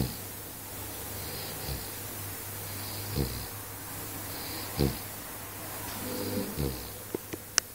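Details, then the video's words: Mischa, a female Bearded Collie, snores after falling asleep while playing at the end of a long day. A low, steady droning snore breaks off briefly about every one and a half seconds, with a few sharp clicks near the end. "Beardie Mischa snoring"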